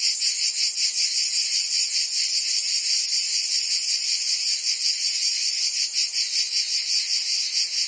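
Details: Chorus of cicadas in Provence, France, during summer: high, steady electric buzzing with rapid rhythmic pulsing, loud and constant, no birds or voices.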